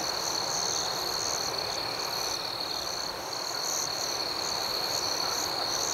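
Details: Dense nighttime chorus of crickets: an even, high-pitched trill overlaid with regular pulsed chirps, steady in volume with no standout caller.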